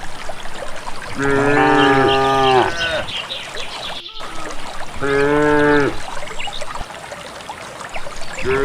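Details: Village cattle walking calmly to a green valley pasture without a herder, their calls said to show their gladness; two drawn-out harmonic moos of about one and a half seconds each, with faint high chirps and a steady trickling background.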